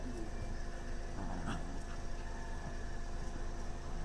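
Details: A Siberian Husky gives low grunts and a brief yip while roughly wrestling a malamute in play, with a man talking; the dogs are tiring.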